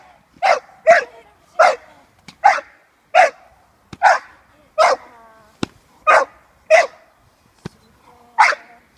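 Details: Six-month-old female American Staffordshire Terrier puppy during protection work training with her handler. She gives loud, sharp barks in an uneven string, about ten in nine seconds, with short silent gaps between them.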